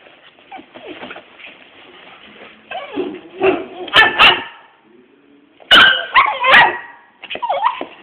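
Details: Small and large pet dogs play fight: throaty growls build into sharp, high yipping barks in two loud bouts, with a short quiet gap between them and occasional human voices.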